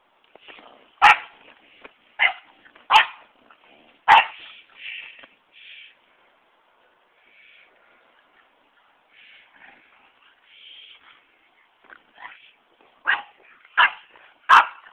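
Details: French Bulldog playing and tackling an English bulldog, giving short sharp barks and yips at about 1, 2, 3 and 4 seconds, quieter grumbling vocalizations in the middle, then another burst of barks near the end.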